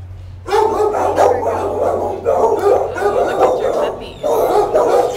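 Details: A mother dog with her litter of eight pups; a dense, continuous chorus of high whining and yelping in bursts of about one to two seconds, with brief pauses between and a steady low hum underneath.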